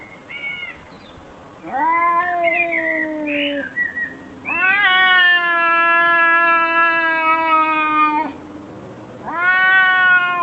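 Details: Domestic cat meowing in reaction to funny sounds played to it: a short chirp, then long, drawn-out, harmonically rich meows lasting two to four seconds each, steady in pitch with slight rises at the start, separated by quiet gaps.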